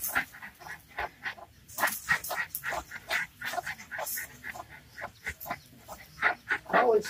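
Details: Jack Russell Terriers, three of them, face off against a snake, yapping in a steady series of sharp, short barks about three per second, with human voices mixed in.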